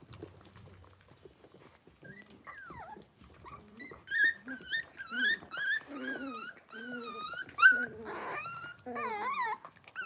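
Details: Indoors, blenheim Cavalier King Charles Spaniel puppies of six weeks let out wavering, whistle-like whines that rise and fall, building from soft isolated cries to a fuller, overlapping chorus.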